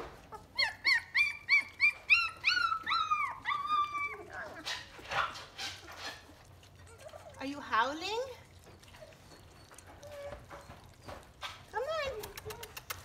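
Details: Three-week-old German Shepherd puppies from the litter of Akela and Max, just starting to walk and open their eyes, during formula feeding. A fast run of about a dozen high, squeaky whines opens the recording, then a person talks over scattered squeals and rustling.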